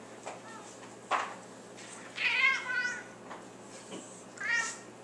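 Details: Female house cat playfully nudged, answering with a loud warbling meow that wobbles up and down for under a second, preceded and followed by shorter, quieter chirps and light handling noise.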